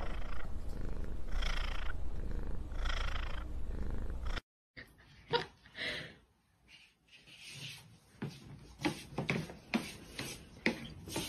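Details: Domestic cat purring close up, a low rumbling drone that swells with each breath about once a second. After a short gap, quieter tapping and clicking noises follow.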